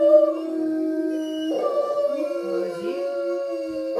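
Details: Chorus of three Otterhounds in a howl-off, steady drawn-out howls overlapping, one voice sliding up and down while others hold level tones.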